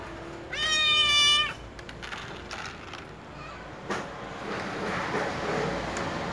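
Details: Little cats meowing loudly before they eat and drink: one long, strong, slightly falling meow with rich harmonics lasting about a second, then quiet clicks, shuffling and soft background noise.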